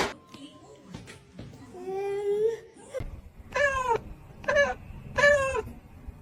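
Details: Domestic cat from a funny cat moments compilation giving three loud, drawn-out meows in quick succession, each a rising then falling wail about half a second long, after softer murmuring sounds in a small indoor room.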